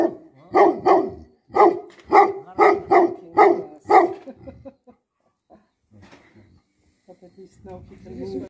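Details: Guardian dog in Nepal, a Tibetan Mastiff (Bhote Kukur), barking in a rapid series of about eight loud, gruff barks over four seconds, then falling silent except for a few soft sounds and a person speaking.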